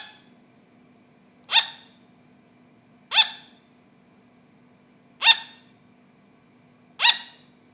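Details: Four sharp high-pitched barks from a pet sugar glider, spaced roughly every one and a half to two seconds, each short and abrupt, with a low steady hum underneath.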